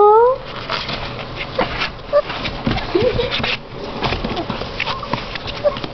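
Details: Golden Retriever puppies from a litter of seven, held in a box while their bed is cleaned, give a brief rising whine, then faint yips under people's voices and handling noise.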